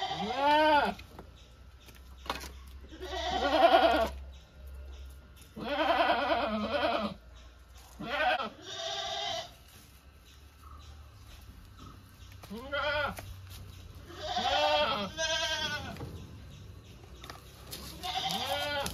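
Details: Goats bleating repeatedly over nearly twenty seconds, harsh wavering calls coming in irregular bursts, some short and some drawn out, over a steady low hum.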